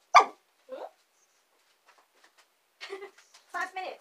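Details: Dachshunds Saigrorg and Tanggwa, two young females, are indoors waiting for their owner, who is working in the basement. A single loud sharp yelp is followed by a softer one, then a pause and short, broken, voice-like whines near the end.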